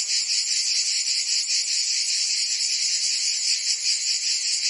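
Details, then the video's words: Provençal summer cicadas, France, producing a continuous harsh high buzz with a softer, less distinct pulsing rhythm over a few seconds. "Cicadas singing in France (Provence)"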